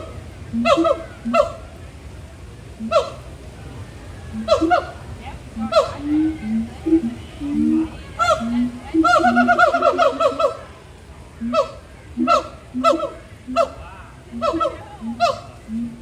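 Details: Long gibbon throat-call bout at Disney's Animal Kingdom during playful swinging; repeated honking whoops with low hoots in between build into a dense, overlapping flurry midway, then settle into steady alternating calls.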